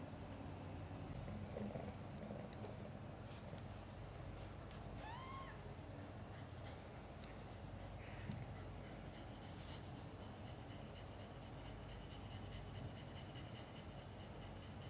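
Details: Mother cat Chan in labour, delivering five kittens, some born backwards, both mother and kittens healthy afterwards; a steady low rumbling purr runs throughout, broken once by a single thin rising-then-falling mew near the middle.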